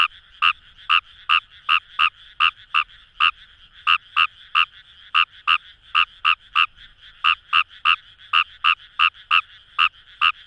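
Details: Fejervarya kawamurai (ヌマガエル) calling in paddy fields along the Kamo River, Itoshima, Fukuoka, Japan: sharp clicking croaks repeated about twice a second in a steady run, with a continuous background chorus of distant frogs.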